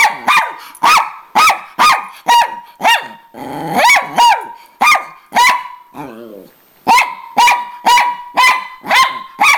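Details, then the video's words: Miniature Pinscher, the bigger of two, barking angrily at her sister for the owner's attention on arrival home; steady high-pitched barks about twice a second, broken by a short wavering whine and a pause. "Miniature Pinscher Angry"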